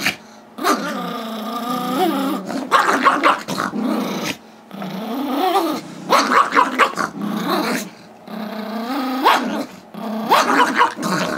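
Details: Pet Chihuahua/Yorkie mix Gizmo, aged five, barks eagerly for a squeaky toy that two-year-old Yorkie Tigger holds during a tug battle in 2011; bursts of harsh, growl-laden barks and yips separated by brief pauses.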